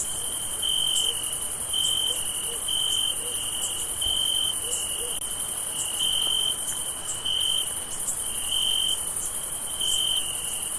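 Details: Crickets chirp on a summer night in a steady, high-pitched chorus, with bright trilling pulses repeating about once a second.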